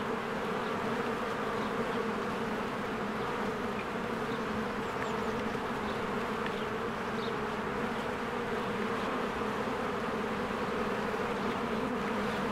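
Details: Busy honeybees flying around their hive during spring bloom: an even, rich droning hum from countless wings, unchanging in volume, while distant birds add occasional faint chirps.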